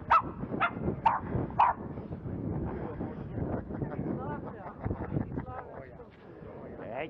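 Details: Jack Russell Terrier named Bowie during scent tracking training as a search dog, giving four short sharp barks in quick succession at the start, then a stretch of rustling, footsteps and handling noise.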